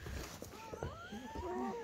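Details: Newborn German Shepherd puppies, first night of a litter of ten born to Betty under a dim camping light, give thin, squeaky whimpers that rise and fall in pitch, mixed with quiet human speech and rustling.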